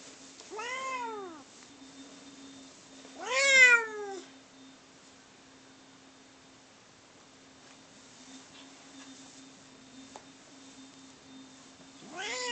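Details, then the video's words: Two domestic cats in a fight indoors: loud, arching wailing yowls with rich stacked harmonics, one near one second, a louder one around three and a half seconds, another starting at the end, quiet room hum between and a person's voice nearby. "Cat Fight"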